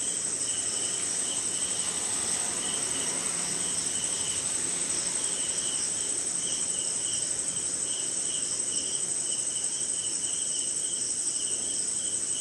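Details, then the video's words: Crickets and other insects calling on a rainy night in an Indian jungle: a steady high shrill trill runs beneath pulsed, repeated chirps of about 140 per minute, over soft rain patter. "Sleeping Night in Jungle - Cricket & Swamp! Forest Sound"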